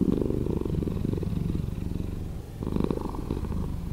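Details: Slowed-down purr of a pet cat: a steady, deep vibrating rumble that dips briefly mid-clip, then returns stronger for a louder breath cycle before settling again.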